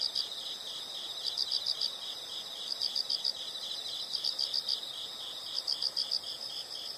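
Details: Insect chorus for relaxation: shrill, high pulsed chirps grouped in bursts of four or five, recurring about every one and a half seconds above a continuous high-pitched hum.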